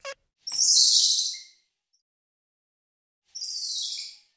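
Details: Squirrel monkey uttering two long, harsh, very high-pitched shrieks, each about a second long and noisy rather than tonal, after a brief initial squeak; silence between them.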